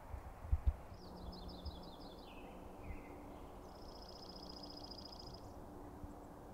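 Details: An elk bull bugles at night during a challenge to the Sheriff, the largest bull in a group of several bulls: a high whistle sliding downward in steps, then a long, sustained, pulsing high tone, with a few low thumps and steady rumble beneath.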